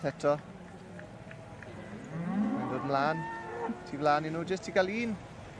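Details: Senior Hereford bull at a show: deep, drawn-out lowing moos with strong harmonics, sliding in pitch and repeated several times, over a busy background of show-ground murmur.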